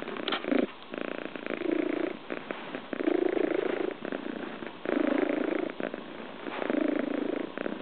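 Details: Scottish Fold kitten relaxing on its owner's lap indoors, purring very loudly: a steady rumbling purr in long phases, each breath-cycle swelling for about a second and a half, with short quieter gaps between them.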